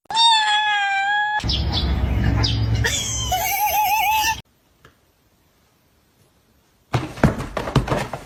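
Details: Domestic cat giving a long, steady, level meow, then a noisy stretch with clatter and a wavering, yowling cry, a short silence, and closing thumps and rustling.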